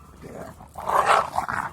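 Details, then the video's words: Pit Bull running outdoors gives a short growling vocalisation, a rough broadband burst strongest in the middle and fading in two smaller pulses. "Питбуль бегает"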